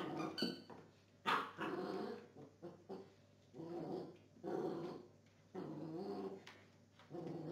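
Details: Belgian Tervuren dog during gun training: repeated low, rough growls and grumbling vocalizations in bursts about a second long, with a few sharper yips and noisy thuds between them.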